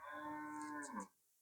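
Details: Friesian cow on a farm in Bangladesh, around the day it was sold, giving a steady, even moo lasting about a second before it drops away and fades into quiet.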